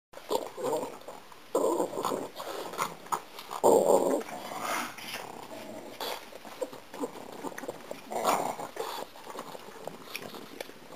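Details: A pug struggles to chew a piece of gum, giving bursts of nasal snorting grunts and low growly huffs, mixed with wet smacking and clicking chewing noises at irregular intervals indoors.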